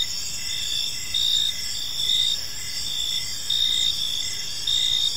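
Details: In a serene park at evening, crickets give bright, shrill chirps in bursts of about half a second, spaced roughly a second apart, over a continuous high insect buzz.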